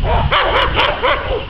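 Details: American Staffordshire Terrier during dog training at the START stadium in Łódź, giving a quick run of about four sharp, arched barks in under two seconds, with little else audible.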